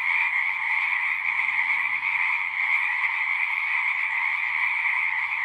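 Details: Natural frog song, a thick continuous chorus of overlapping trills at steady volume in two stacked pitch bands, with a faint low droning hum in the first half and a quieter low tone later.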